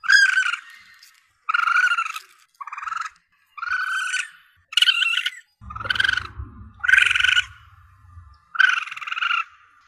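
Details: Young Asian palm civet, with audio used by hunters to attract prey animals: eight rasping, nasal mews in close succession, some shorter and fainter, with a low rumbling noise under the middle calls.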